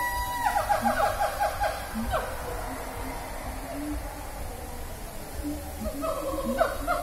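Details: Noisy siamangs at Taman Safari call loudly from their shelter, possibly communicating, with rapid, rising hoots and barks in quick repeated bursts that echo far.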